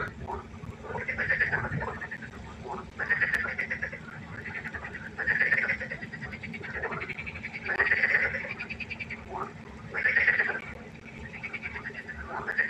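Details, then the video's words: Frogs at a pond by night giving pulsed, trilling croaks in distinct bursts about every two and a half seconds, quieter chatter filling the gaps between. "1 Stunde Froschkonzert. Frosch Geräusche quaken. Frösche Geräusche Konzert"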